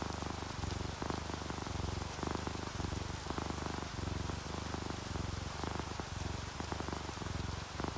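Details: Sleeping ginger tabby and calico cats purring, relaxed, mixed with steady rain: a deep, rumbling, low purr pulsing in alternating breaths about every half second to second, over a constant hiss of rainfall and dripping drops.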